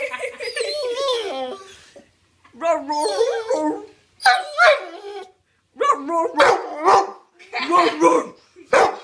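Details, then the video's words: Otis the dog pleads for a new toy indoors. Wavering whines give way to rougher, bark-like yips near the end, and a person speaks between the calls. "Otis telling me he wants a new toy."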